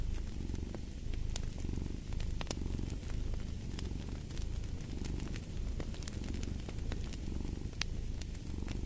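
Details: Deep rhythmic cat purr that swells and fades roughly every one and a half seconds with each breath, accompanied by frequent popping and crackling from a fireplace.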